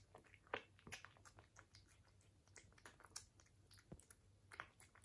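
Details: British Shorthair cat eating indoors, close ASMR recording: irregular crisp crunches and wet chewing clicks, several louder bites standing out, over a steady faint low hum.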